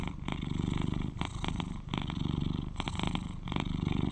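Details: An 11-year-old male British Shorthair cat, cuddly and a loud purrer, gives a continuous low purr, a fast rumbling throb swelling and fading with each breath, broken now and then by brief soft rustling or brushing sounds.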